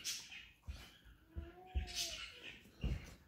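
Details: Basset Hound whining indoors because it wants food: a thin, steady tonal whine that dips slightly over about a second, with soft thumps and a woman telling the dog it cannot have her food.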